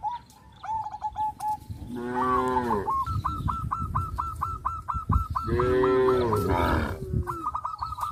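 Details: Cows loose in fields, tame and frisky, give two deep drawn-out moos a few seconds apart amid a steady, fast series of clipped honks from nearby fowl.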